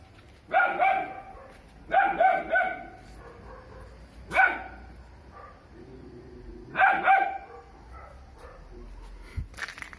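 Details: Three-month-old Doberman puppy guarding its home at night, giving loud, sharp barks in bursts, often doubled or tripled, about every two seconds, with quiet pauses between and a faint scrape near the end.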